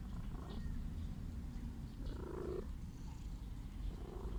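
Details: Sick stray cat wanting to be loved, purring in a dense low continuous rumble, with a brief harsher nasal sound around two seconds.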